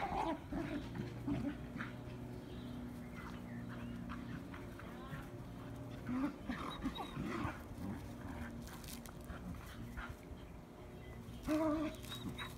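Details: Spring outing with an Irish Terrier, its whiny, grumbling vocal bursts coming irregularly over a steady low hum, louder near the start and again toward the end.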